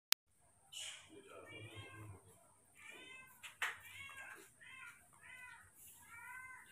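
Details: Newborn baby monkeys being hand-fed milk and food every two hours; a string of short, high, wavering squeals with stacked harmonics repeats about once a second, with a woman speaking Indonesian softly nearby and a sharp click early on.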